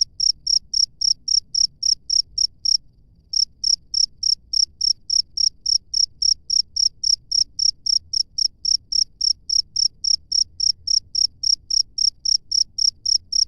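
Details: High, pulsing chirps of a cricket recorded in nature, evenly spaced at about four per second, interrupted once by a short silence before resuming steadily.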